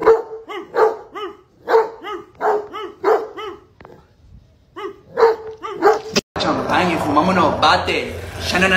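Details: A pet dog reacts angrily after its owner barks at it. It answers with a rapid run of sharp, tonal barks, about two per second, followed by a short pause and more barks. Loud music then cuts in.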